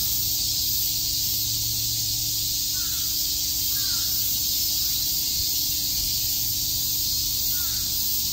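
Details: Summer cicada chorus in Shakujii Park, Tokyo: a continuous shrill buzz fills the air without pause, while a few faint, short, lower calls from another creature break through around the middle and near the end.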